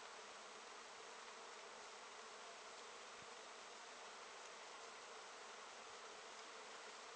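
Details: Bees foraging in great numbers around Japanese knotweed bushes, a late-season honey plant, on 14 September 2013; a dense, steady hiss-like buzzing from many insects fills the air without pause.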